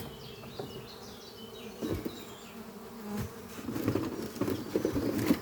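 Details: Worker honey bees in flight around a busy hive under trees, spring morning, pollen on their hind legs; continuous low drone swelling near the end as bees pass close, with a few thin bird whistles early on.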